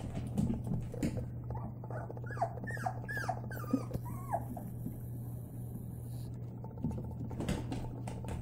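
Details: Labrador Retriever puppies, white, playing together: a quick series of short falling whimpers and squeaks in the middle, with clicks, rustles and a steady low hum throughout.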